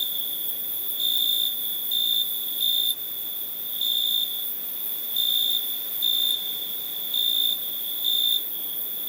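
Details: Cricket chirping in high, steady pulses near four kilohertz-level pitch, short bursts repeating roughly once a second over a constant high ringing tone, with a faint hiss throughout.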